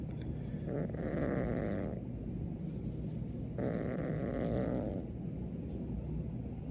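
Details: Siamese kitten Beans, upset over a new kitten in the adjoining room, lets out two separate harsh growls of about a second each, with a low continuous rumble between them.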